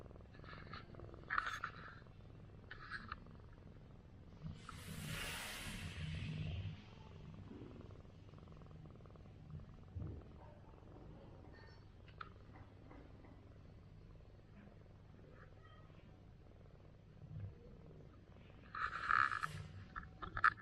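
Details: Large orange rural village cat that fought feral cats all night and slept on a stool all day, purring while being massaged: a steady low continuous rumble throughout, with a few clicks, a rustling burst and brief handling noises.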